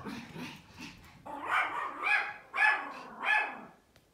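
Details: A Pomeranian outdoors gives a run of sharp, high-pitched barks, about one every second or so, barking at a big dog it has seen outside.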